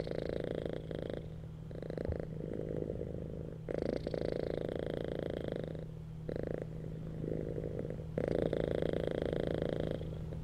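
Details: Cats lying on a bed purring contentedly; a rhythmic, rattling purr alternates between louder exhale-like stretches and quieter inhale-like pauses roughly every two seconds, with a faint constant hum in the background.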